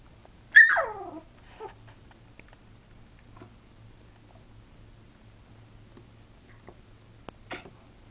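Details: A puppy named Hero gives one of his first barks indoors, a single high yelping bark that slides downward, followed by faint scuffles and a short sharp noise near the end of a quiet room.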